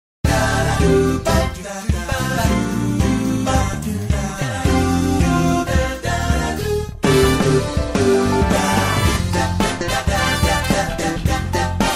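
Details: Upbeat pop song with singing and bright instruments playing throughout, and no animal sounds.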